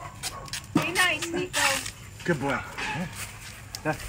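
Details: Dog helping a family shuck sweet corn for dinner gives several short, high whining yips with bent, wavering pitch, spaced irregularly over four seconds, mixed with people talking in Dutch close by.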